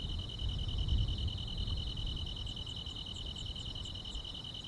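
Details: Grass insects on a summer night: a rapid, evenly pulsed high trill runs throughout beside a second steady tone, with faint, even higher chirps repeating about every quarter second, over a low rumble.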